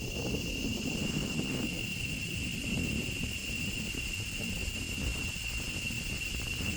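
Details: Male cicadas in the last week of May, at the start of the rains and the end of their season, sing a steady, high-pitched drone that holds unbroken throughout, over low rumbling background noise.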